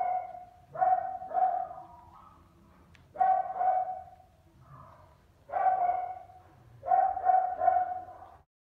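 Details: Toy poodle puppies, males and females from a newborn litter kept indoors in Turkey, give high yapping barks in four bursts, each made of two or three quick yelps, with quiet pauses between them.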